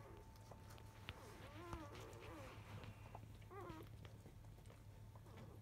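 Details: Three black field-line Labrador Retriever puppies, five days old, nursing from their mother at 11:30 in the morning; faint squeaky puppy whimpers with downward-curving pitch, a few scattered calls over low steady hum and soft rustling.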